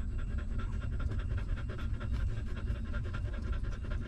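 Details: Puppy feeding at a stray mother dog's teats: quick regular wet clicks of suckling, several each second, steady for the whole stretch against a deep continuous hum.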